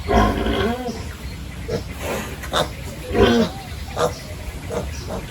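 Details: Pigs at a village pig farm during morning feeding and pen cleaning give harmonic grunts and short squeals in uneven bursts, with human voices mixed in and steady background noise.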